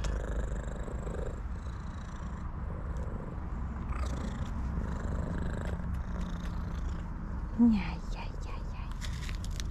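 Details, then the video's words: Tuxedo cat that always purrs loudly, greeting its owner: a steady low rumbling purr runs throughout, with a single short meow near the end and a man's quiet voice speaking over it. "Tuxedo cat who always purrs loudly, greets me with her cutest meows"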